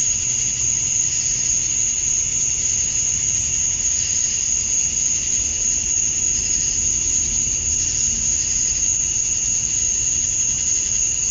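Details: Summer-dusk chorus of cicadas in Georgia, USA, a continuous piercing high whine overlaid by faint, shorter buzzy bursts that come and go every second or two.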